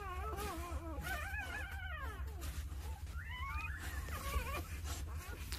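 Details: Two-day-old Jindo pups, nine in the litter, with their mother Sarang looking after them: wavy, warbling cries that rise and dip in a chorus, and a sharper rising squeal near the middle, over a low hum.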